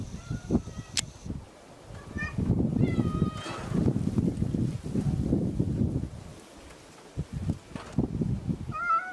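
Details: Semi-feral stray cat meowing in answer when called by a person it has begun sharing meals with; several short tonal meows, one drawn-out and falling, over rustling and low background noise, with a final meow near the end.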